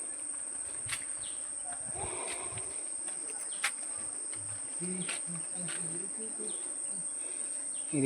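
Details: Crickets near the watch tower in Mini Sundarban, Taki, West Bengal, during hot weather: a thin, high, continuous trill runs through the forest soundscape. Scattered bird calls and the low humming of bees are also heard, along with occasional clicks.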